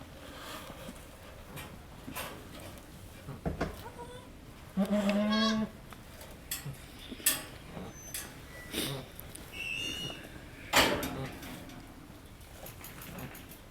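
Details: Goat on a goat farm during the birth of the second of triplets: a steady, wavering bleat lasting about a second, amid people talking, rustling, and background music.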